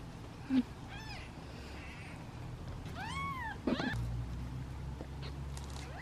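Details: Kittens from a litter of seven wait in a basket for feeding; a few arched meows sound, one clear at mid-clip, with sharp knocks and handling noises around them and a low hum.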